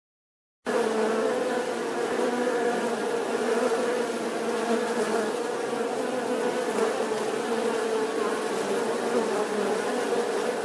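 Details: Bees buzzing steadily after a brief silent start: a dense, continuous droning hum with a strong low tone and layered overtones, many wingbeats overlapping into an even swarm-like sound throughout.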